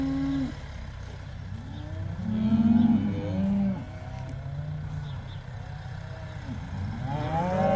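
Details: Herd of about 80 cows going outside for the first time: several low moos, one short held call opening, then overlapping curving lows from multiple animals over a steady low rumble in the background.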